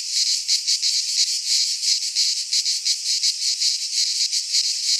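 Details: Greek cicadas in a midsummer pine forest give an intense, metallic, high-pitched buzzing song, pulsing rhythmically about three times each second over a constant hiss, with nothing else audible.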